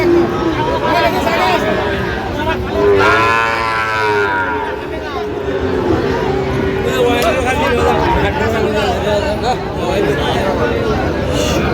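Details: Sahiwal bull calf at a busy cattle market in Chittagong, Bangladesh, on 13 November 2025: a drawn-out, harmonic moo swells and bends downward midway, surrounded by constant crowd chatter and bargaining voices.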